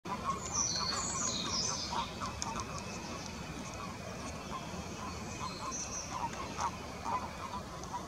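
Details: Common toads at spawning give short, soft croaking notes over and over, with high bird chirps at the start.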